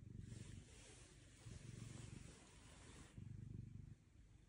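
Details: Bedtime purring from Otis, an orange cat, getting a belly rub while hugging an arm. Low rhythmic rumbles in three breath-length bursts sit under soft hissy background noise.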